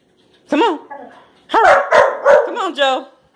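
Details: Two Labrador Retriever puppies, Josie and Jackson, jumping for a banana held in the air, March 21, 2018; a rising-falling yelp, a pause, then a rapid run of four or five overlapping yips and whines.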